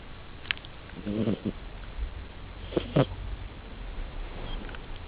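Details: Domestic cat asleep and snoring, making short, coarse, vibrating breaths roughly every one and a half seconds, mixed with a few sharp clicks and faint background hiss.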